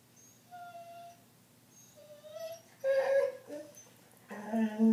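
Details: A pet dog indoors, vocalising as she does every night while the TV is on: thin whistled whines, long drawn tones, then louder harmonic squeaky yelps near the end, with a low steady room hum.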